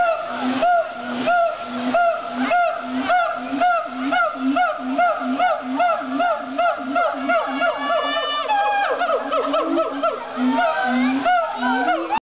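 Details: Siamang gibbons at a zoo howl in loud, rhythmic hoots repeated about twice a second, building into rising whoops.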